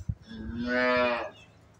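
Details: Freshly calved four-toothed Jersey Friesian cross cow with her female calf gives a single drawn-out moo of about one second, a steady low harmonic-rich tone swelling and fading, after a few soft low thumps.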